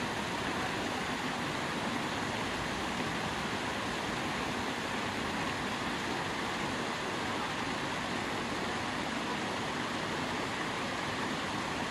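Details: Steady broadband rushing noise like running water or traffic, with no animal calls standing out.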